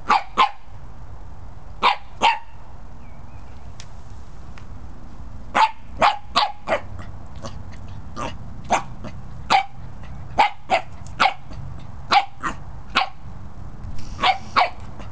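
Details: Corgi, a small Welsh herding dog, barking indoors: sharp, abrupt barks in pairs and short bursts, roughly twenty over fifteen seconds with brief pauses between, over a steady low hum.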